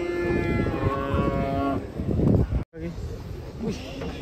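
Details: A bovine moo held steady for almost two seconds as cattle leave a truck, then a brief break and quieter noises, with music in the background.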